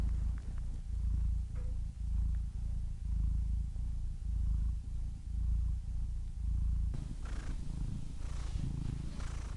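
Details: Cat purring in low, rhythmic rumbling pulses roughly once a second, shifting near the end into a breathier, hissing purr with soft airy noise.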